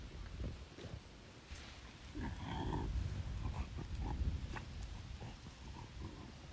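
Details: French bulldog Oleg meeting strangers on a river bank, full of joy: a busy run of low, rough snorts and piggy grunts, with a short nasal whine midway and a brief tonal squeak near the third second, over muffled outdoor rustling.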